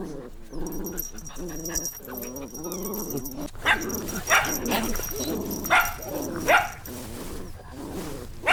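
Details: Puppies playing in nature begin with wavering, low growly whines, then shift to sharper squeaky yips spaced about a second apart.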